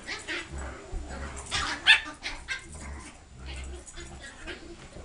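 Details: Reggie and Riley, a big dog and a little dog, at play; rough overlapping yips and barks come in a dense, noisy run, peaking sharply near the middle, with low rumbling underneath.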